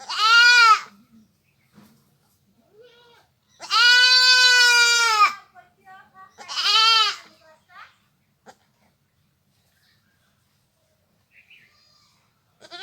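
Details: Village goat giving three loud, wavering bleats: a short one, then a long drawn-out cry, then a third of medium length, with quiet pauses and faint rustling between them.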